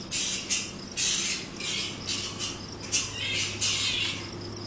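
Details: Australian fruit bats near a house: a dense run of grating, hissy screeches, roughly two bursts per second, rises and falls over a faint steady insect chirping and a low droning hum.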